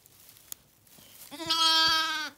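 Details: Two big newborn male Zwartbles lambs are with their mother in a stable on an Irish farm in County Kilkenny. One sustained, even bleat of about a second follows soft shuffling and a sharp click.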